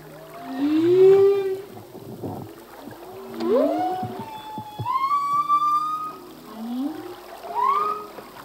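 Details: Full-length song of a male humpback whale: swooping moans rising and falling, a long high tonal wail in the middle, and repeated upswept cries spaced a couple of seconds apart.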